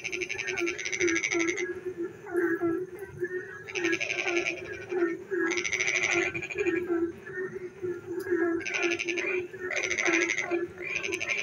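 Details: Several frogs calling in the dark while it rains: a low throbbing croak runs throughout, and buzzy rattling trills burst out repeatedly, some in quick pairs, over a background of softer scattered calls.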